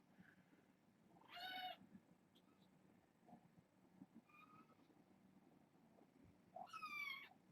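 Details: Young kittens at bedtime from a litter of six, calling with two clear high meows, one early and one near the end, with faint squeaks between in a quiet room.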